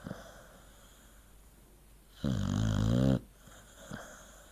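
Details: A dog asleep and snoring, one strong rasping, low snore lasting about a second in the middle, surrounded by quiet breathing and soft room hiss.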